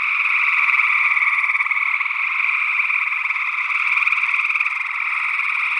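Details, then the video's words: Gray tree frogs in Northwest Wisconsin, early June 2022, mixed with an unidentified second frog species, recorded on paired condenser microphones in ORTF arrangement; a thick, rapidly pulsing trill chorus, steady and unbroken, with slight rises and falls in volume. "Gray Tree Frog Calls"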